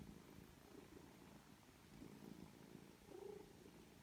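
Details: Rescued mother cat and her three-week-old foster kittens indoors, heard as a close, low, rumbling purr in quick regular pulses, with a brief tiny squeak near the end.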